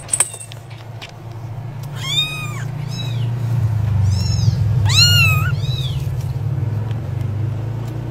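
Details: A kitten gives several short, arched meows, one ending in an upward twist, over a constant low engine-like rumble.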